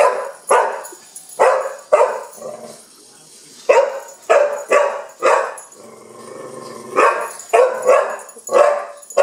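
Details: Young Pit Bull named Kenya barking at a wind-up bug toy; short sharp barks in uneven bursts of two or three, about eighteen a minute, with quiet gaps between.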